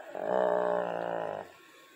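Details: Pet dog barking at its owner for attention after being petted: one drawn-out, strongly harmonic, moaning bark lasting just over a second, steady in pitch, then quiet while a person speaks soothingly.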